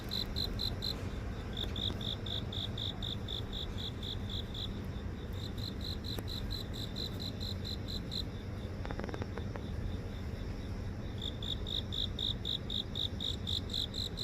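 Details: Grass insects singing in a house garden near an office in downtown Seoul, recorded on a phone: steady pulsed chirps, about four per second, with a fainter high trill above, continuing over low city rumble.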